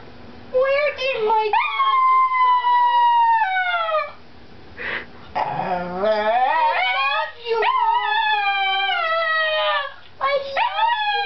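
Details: Chihuahua giving repeated drawn-out howls, harmonic wails that start high and slowly sink, broken by a short snuffly sneeze-like burst midway and then more rising howls.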